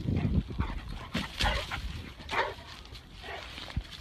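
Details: American Bully dog in a compilation of funny home clips: a few short, rough barks and whimpering yelps, spaced irregularly over about four seconds, over low rumbling handling noise and faint background voices.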